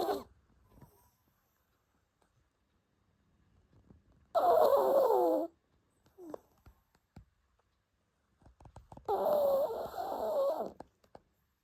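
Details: Sleeping dog indoors, snoring unusually loudly: harsh, wheezing snores with a wavering whistled tone recur every four to five seconds, with short snuffles and faint clicks in between.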